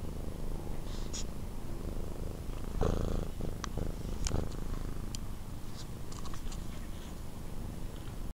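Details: Indoors, drowsy Nathan the cat, roused from sleep with tongue poking out, keeps up an even, deep throbbing purr while brief clicks and soft handling noises sound over it.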